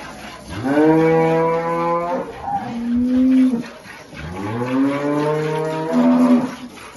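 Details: Holstein cattle with calves at milking on a Salvadoran farm: loud overlapping moos, a deep steady one with rich harmonics answered by a higher, shorter call, then another long deep moo.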